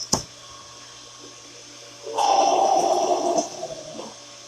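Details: A male grey seal in a rehabilitation pen, stranded at Brigantine on 6 April and recorded 8 April 2022, gives a harsh, throaty growl of about a second, a warning to animals and people to stay away.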